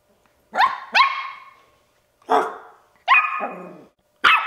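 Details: A 10-week-old male Bichon Frise puppy gives sharp, high yappy barks in quick bursts, wanting to play.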